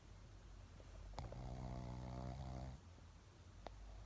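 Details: Shih Tzu named Laimos snoring while asleep indoors: one drawn-out, low rumbling snore lasting about a second and a half, steady and harmonic, with a soft click before and after in a quiet room.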